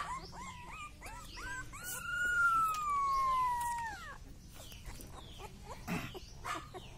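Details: Rottweiler puppy giving a few short squeaky whimpers, then one long, clear whining howl lasting about two seconds that slowly slides downward in pitch before fading, followed by quiet rustling.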